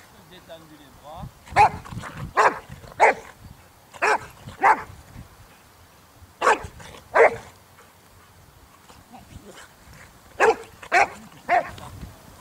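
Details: Boxer from the Boxer Club training for character tests (APE and Selection) at the St Georges d'Orques canine training centre: about ten loud, sharp barks in bunches of two or three, with pauses between bunches and faint human voices behind.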